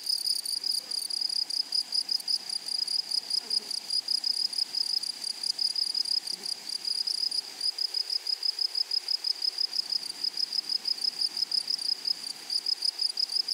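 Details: High-pitched insect chirping from grasshoppers in a flowering meadow, a fast, regular run of short raspy pulses continuing unbroken, with a soft low background murmur of the open countryside.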